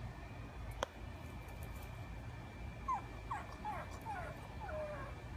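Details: A frustrated pug puppy, a female, gives a run of thin, high whimpers, each sliding downward, over a low background rumble, as she fails to fit her favorite stick through a fence doorway.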